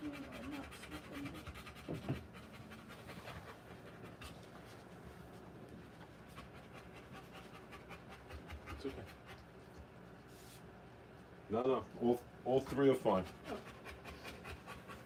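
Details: Rottweiler panting hard while giving birth to puppies. Rapid, breathy pants run steadily, then a cluster of loud, voiced, whine-like bursts stands out late, before the panting resumes.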